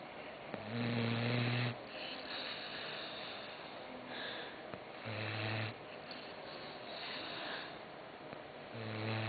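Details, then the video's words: Croqueta, a dog, snoring while asleep indoors: three loud, low, buzzy snore bursts come roughly every four seconds, with softer rasping breaths in between. "Roncando Croqueta"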